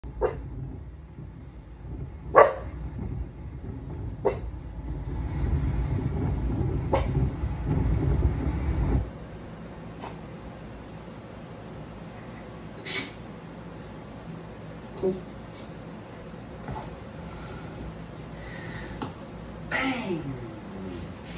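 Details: A Rottweiler barking at other Rottweilers on TV gives sharp, deep barks at uneven intervals over a low background rumble.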